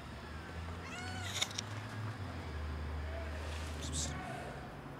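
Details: Mother cat defending two tiny kittens from a dog; short wavering meows come at the start, middle and end, over a low droning hum and a few sharp clicks.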